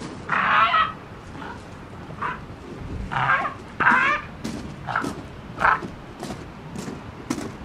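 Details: South American fur seal pup, rescued after being separated from his mother too young, now healthy at a marine rescue center and feeling needy, climbing onto arms for a cuddle; harsh, bleating bursts repeat roughly every second, about eight in all, with faint handling thumps.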